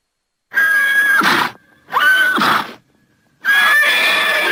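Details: Horse giving three quick, strained neighs with a steady high tone that bends down at the end, about one per second, with brief silences between.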